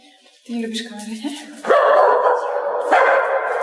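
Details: A white dog at a sister's home barks in greeting as a visitor arrives on a dark evening. Two loud, rough barks about a second apart follow a woman's greeting.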